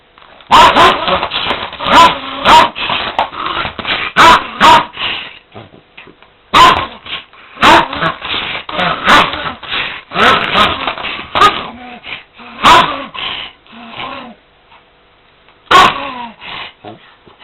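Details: A dog attacking a vacuum cleaner it hates, giving bursts of sharp, loud barks mixed with growling, in clusters with short pauses between, against the steady hum of the cleaner.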